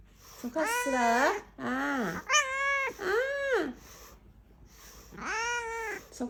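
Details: Coquettish kitten mewing in a small room: five high, drawn-out meows with rising-then-falling arcs, some brief and clipped, others longer and whiny, separated by short pauses, with a quieter gap before the last long meow.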